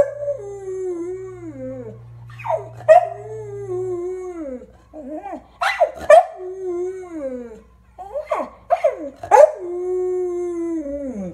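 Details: A 6.5-year-old male standard American Eskimo Dog howls mournfully while watching an old video of himself howling with his late housemates: drawn-out, wavering, downward-sliding tones broken by brief yelping yips.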